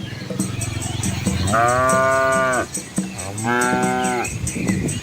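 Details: Village cattle and calves moving along a country road in Asia beside rice fields; two drawn-out, arching moos about a second long each, separated by a pause, over faint steady background noise.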